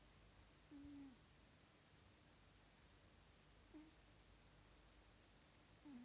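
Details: Nelsik, a sleeping Scottish Fold cat, snores softly: three short, low whistled notes, each bending down at its end, spaced about three seconds apart over a steady quiet hiss.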